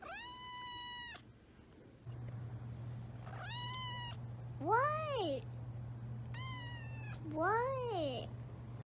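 A kitten gives a run of high, tonal meows, some rising then falling in pitch.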